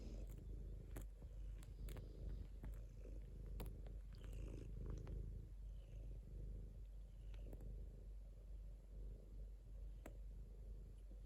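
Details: A pet cat purrs continuously, a deep vibrating drone that swells and eases slightly with each breath, sprinkled with brief ticks and small handling noises.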